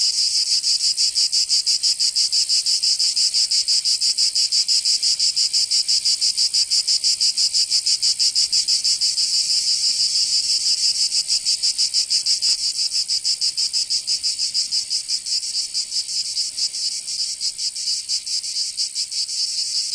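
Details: Cicadas singing in summer in Provence, southern France: a dense, loud, high buzzing chorus pulsing rapidly about three times a second, steady throughout with slight swells in intensity, no other sounds.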